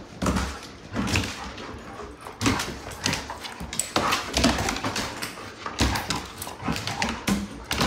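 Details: Two pet dogs, Gracie the Great Pyrenees and Whiskey the Golden Retriever, playing together indoors: rough, low grunting woofs and short growly bursts come every second or so, mixed with thumping bodies and scrabbling paws on the floor.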